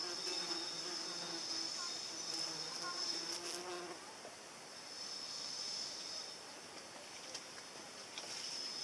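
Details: Flying paper wasp giving a humming buzz with a clear harmonic ladder for about four seconds before it fades. A shrill continuous background whine and a few sharp ticks are also audible.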